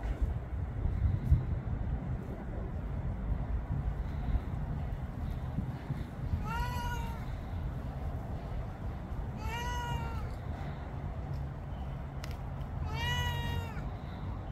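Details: Roughly eleven-year-old pet cat in Florida meowing three times, at about 6.5, 9.5 and 13 seconds; each meow is a clear arched, slightly rising-falling tone with rich harmonics, over a steady low background rumble.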